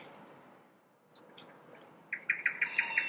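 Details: A red squirrel, possibly the young male Leo who visits a garden from early June, gives a burst of harsh, clipped scolding chucks, about six per second, after a quiet start with a few faint high chirps.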